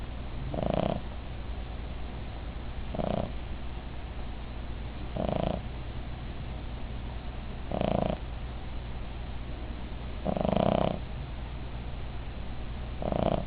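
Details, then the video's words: Asleep and snoring, the female Cavalier King Charles Spaniel Midge gives six short, grating snores at roughly two-second intervals, evenly paced, against a steady low background hum. "Midge Snoring"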